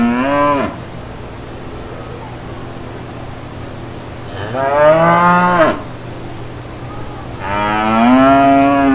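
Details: Countryside pasture with brown cows and little calves; a moo is cut off at the start, followed by two more long harmonic moos about three seconds apart, steady low hum beneath.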